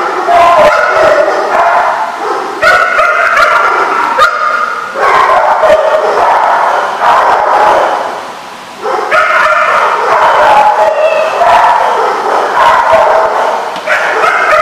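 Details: Loud chorus of barking dogs on 17 October 2015, dense overlapping yips and bow-wows with brief dips, the clamour carrying on without pause for the whole stretch.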